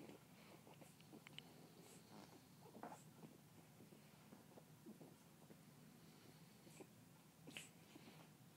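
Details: New pug puppy, a female, amusing herself with play: irregular soft snuffles and two clearer breathy snorts, one early and one late, with faint rustling and a low hum underneath.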